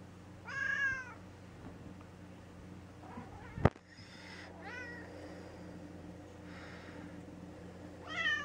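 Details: Gray tabby cat named Mouse, a pet recovering indoors after polyp-removal surgery, gives three harmonic meows, the first and last strongest, with a sharp click between them and a steady low hum behind.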